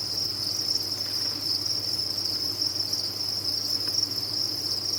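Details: Farm-raised crickets chirp en masse, a bright continuous high-pitched buzz with small swells in loudness, backed by a low steady hum.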